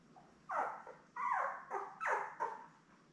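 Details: Newborn Labrador Retriever puppies with their mother Belle, seven pups born May 24, 2021, on a live puppy cam; five loud, wavering, mewing cries rise and fall in quick succession over about three seconds.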